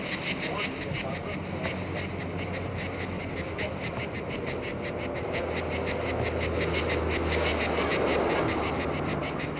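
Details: Cicadas recorded in France in 1995: a steady, high, rhythmic buzzing pulsed several times a second runs through the whole stretch, over a low, constant rumble in the background.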